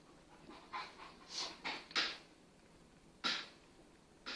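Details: Two Kangal dogs named Venus and Tyson, a huge 8-month-old full Kangal puppy playing with a cross Kangal half his size; soft breathy panting bursts and scuffles come at irregular intervals, with quiet gaps between them.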